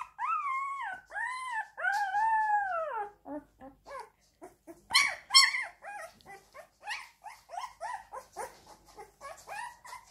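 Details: Two drawn-out arching howls from a crying Siberian Husky, then a loud burst and a quick chattering series of short whimpering notes that repeat unevenly to the end.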